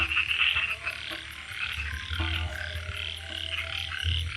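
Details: Frogs in a dense, continuous chorus: a noisy, buzzing band of overlapping croaks, with brief stronger bursts and a faint, regular high ticking above, over a steady low hum.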